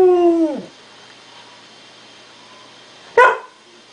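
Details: A Samoyed dog indoors watching puppies on a screen gives a long whine that falls at the end, then after a pause a short sharp bark-like yelp.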